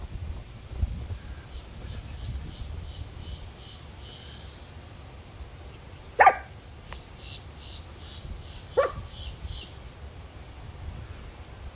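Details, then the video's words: Chihuahua confronting a turtle, letting out two separate sharp barks a few seconds apart amid quiet outdoor background with faint repeated bird chirps. "Chihuahua vs Turtle"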